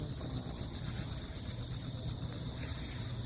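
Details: Crickets calling on damp ground after a typhoon has passed: high, thin pulses repeated evenly about four times a second, steady throughout, with a low outdoor rumble beneath.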